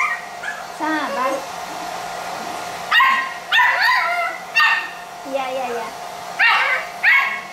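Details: Pit Bull puppies of Hewie playing indoors: short high whiny yelps and squeaky arching whimpers in scattered bursts, over a steady humming drone and faint voices.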